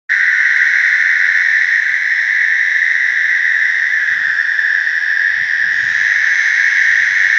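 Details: American toads (Anaxyrus americanus) in a slough give mating calls, throat pouches swelling and shrinking with each call: a long, steady, musical trill, a high sustained purr that never breaks.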